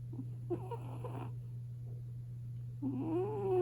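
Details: British Shorthair cat, female, five years old, asleep on top of a warm kotatsu in a quiet room, snoring very loudly: two rough, breathy bursts with a rising tonal whine in the second, over a constant low electrical hum.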